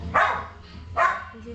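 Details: Five-week-old bi-black Shetland Sheepdog puppy Goodness, largest of his litter, born 1/25/08 to Emma and Figaro, indoors: two short, high, yappy barks about a second apart, with quiet room noise between them.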